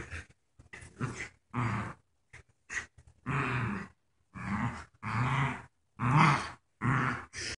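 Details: Two puppies, Joy, who is paralyzed and wears a diaper, and her friend Wicket, playing tug of war indoors, giving rough, throaty play growls in short bursts about once a second, with brief pauses between.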